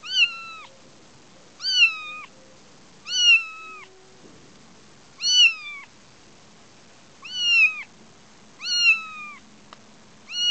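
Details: Young kitten Sumi on a grass lawn in the front garden, crying for his mother Shiye indoors after slipping out; seven clear, high meows, each falling slightly at the end, repeated about every one and a half seconds.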